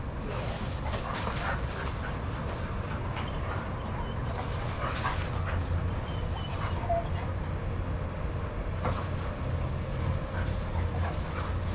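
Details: Animal shelter dogs playing and running together at daycare. Scattered short barks and yips, some whimpering, rise now and then over a steady low rumble and busy background noise.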